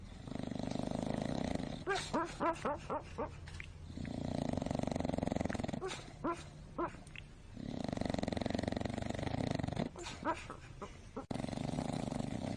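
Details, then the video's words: A sleeping pet dog snoring. Long, rough, breathy snores rise and fall in three waves about four seconds apart. Between them come bursts of short, rattling snorts in quick runs. "Snoring dog so funny, Very vivid"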